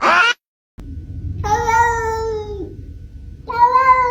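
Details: Domestic cat giving two drawn-out, harmonic meows, the first about a second long and steady, the second shorter, after a brief sharp sound and a pause; a low background hum runs underneath.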